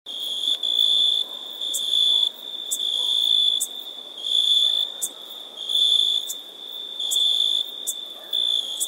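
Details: An insect producing a steady, high, pure trill that swells and fades in loud bursts roughly every second, with brief sharp clicks between bursts and no other sounds.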